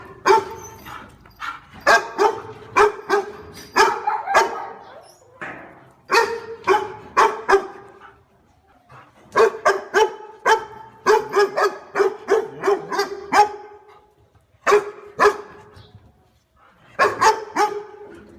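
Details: Barking from a dog reacting to a stranger, loud rapid barks repeated in long uneven runs with brief breaks between them.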